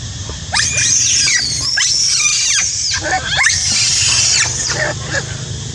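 A monkey screams loudly in harsh, shrill bursts that sweep up and down in pitch.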